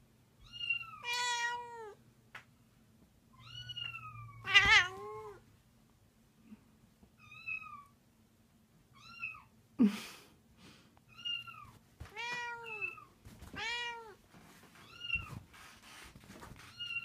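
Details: Cleo, a 13-year-old domestic cat, gets angry at the sound of other cats meowing; a long series of repeated arched meows and harsher yowls, roughly one every second or two, with a few clicks and a low background hum.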